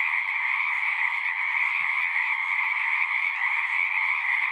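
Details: Pond frogs in a horse pasture calling en masse, forming an unbroken high buzzing trill chorus; a faint low thump sounds briefly in the middle.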